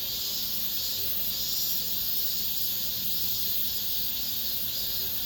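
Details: Cicadas in an apartment complex at summer's end, an intense, even, hissing drone of high buzzing with faint wavering swells.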